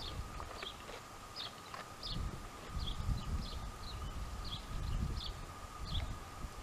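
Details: Jamahl and Laila, a pair of dromedaries, calmly chewing cud, with rhythmic low grinding and crunching about every second, while thin high chirps repeat and a constant whine hums behind.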